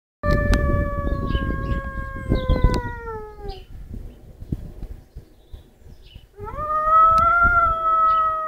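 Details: A pet lurcher, a long dog, howls in two long, smooth, tonal notes, the first slowly falling and the second rising then holding steady, separated by a pause, over low background rumble.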